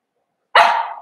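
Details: In a home puppy pen, a seven-week-old Cavalier King Charles Spaniel puppy lets out a single sharp yelp that starts bright and loud, then fades and drops lower over about half a second.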